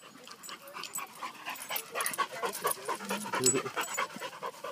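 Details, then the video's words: Six-month-old Vizsla puppy playing at a dog park, panting in quick, breathy, regularly repeated puffs of roughly two per second, with the rhythm steady throughout. "Phoenix Vizsla Puppy 6 months Old"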